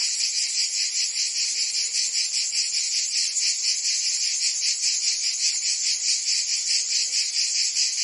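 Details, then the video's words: Summer cicada chorus in Provence, southern France, a constant high rasping drone with a rapid even pulse, loud and unbroken throughout, nothing else clearly audible. "Cicadas singing in France (Provence)"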